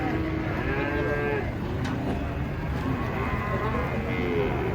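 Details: Giant cattle being unloaded from a truck give drawn-out, arching moos near the start and again at the end, over a steady low rumble of engine and yard noise.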